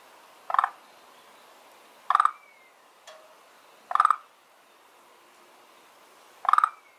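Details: Garden-pond frog, one of two unidentified kinds that have settled in the pond, giving four loud, rasping croaks about every two seconds; a soft bird whistle slides between calls over a quiet outdoor background.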